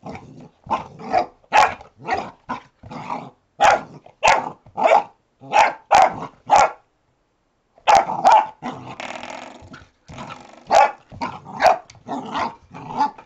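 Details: Retriever puppy discovering a door stop, barking in quick bursts of short sharp barks, many in a row, a brief pause near the middle, then more barking mixed with growly rasp.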